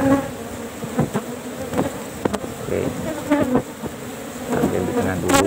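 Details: Asian honey bees (Apis cerana) at a cultured hive box during a honey harvest, only one frame taken as honey is still scarce before flower season; dense steady droning buzz with a low hum, broken by sharp knocks and clicks of handling.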